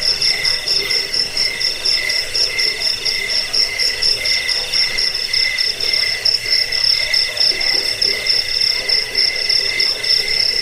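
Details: Crickets played as a rat repellent, sleep aid and training sound for songbirds; dense, steady high chirping in rapid pulsed trains, a bright shrill band over a lower buzzing band, continuing without pause.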